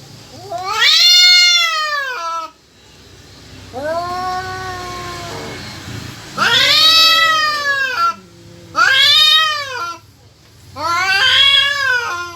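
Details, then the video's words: Domestic cats yowling, either in heat or squaring up to fight: four loud drawn-out harmonic wails, each rising then sagging over one to two seconds, with a softer, flatter moan between the first two. "KUCING MINTA KAWIN APA MAU BERANTEM...?"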